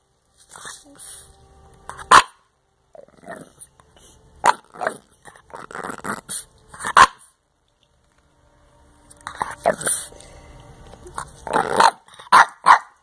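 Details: A Boston Terrier, eating homework and "telling all about it", gives short, irregular barks and gruff vocal bursts, with human speech in between.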